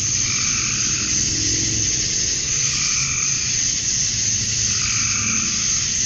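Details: Male cicadas chirping to attract females at dusk on a summer night in Georgia, USA: a dense, steady, high-pitched shimmering buzz, with a lower, softer trilling call swelling and fading every couple of seconds underneath.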